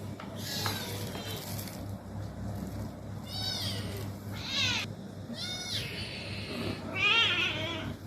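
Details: Pet cats playing indoors, meowing in several short, high, rising-and-falling cries spread over eight seconds, with a steady low hum and a woman speaking softly in the background.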